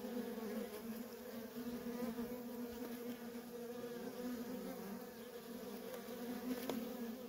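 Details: Worker honey bees in nonstop traffic at a feral colony, a dense steady hum of many wings with strong low drone and overtone bands, wavering slightly in loudness throughout.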